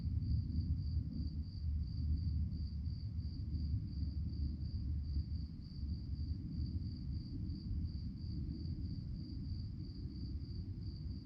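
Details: Night-time crickets keep up an unbroken high chirping, evenly pulsed beats repeating several times a second, with a deep continuous rumble running underneath the whole time.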